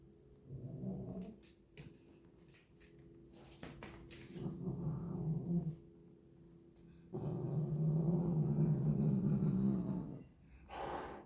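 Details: Twin house cat playing with a toy mouse indoors, giving low rumbling, growl-like murmurs in several bursts, the longest about three seconds, amid knocks and rustling from play.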